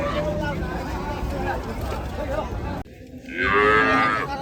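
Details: Gaiya cow at a cattle farm where cattle are being unloaded: after a noisy, crackling start, a loud drawn-out moo with rich stacked harmonics swells and holds for about a second, with faint voices in the background.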